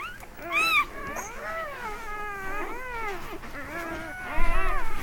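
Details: Newborn Mastiff puppies, thirteen in the litter, being gently gathered into a box at a vet clinic at night, giving drawn-out wavering whines and squeals, several at once, ending with rustling.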